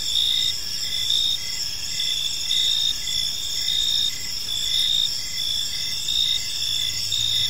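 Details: Park crickets at evening producing a layered high chirping chorus, regular pulsed bursts swelling roughly every second, a faint low hum entering near the end beneath the insects.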